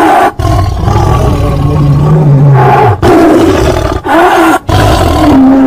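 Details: Sustained tiger roaring, deep and resonant with a steady low tone, split by several brief breaks into rumbling segments of about one second each.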